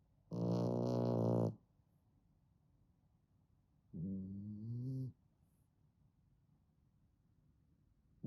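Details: Three-month-old female fawn French Bulldog puppy snoring with a deep, man-like snore: two low, droning harmonic snores, the first about a second long and steady, the second shorter with a rising then wavering pitch, separated by quiet breathing gaps.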